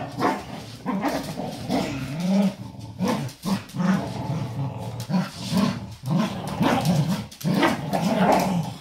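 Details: Two pet dogs indoors competing over a favourite toy wrapped in a small old blanket during a play game; low rumbling growls run almost continuously, swelling and fading in short surges with brief breaks.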